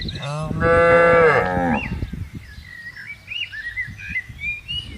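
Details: Cattle being herded into a farm pen: one long, loud harmonic moo lasting about a second, falling at the end, followed by softer background chatter and faint chirping bird calls.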